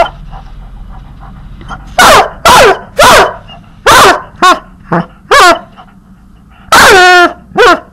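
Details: Puppy being teased, giving a run of loud, sharp yelping barks in quick bursts, some with falling pitch, ending in a longer drawn-out whine-bark; faint background hum between calls.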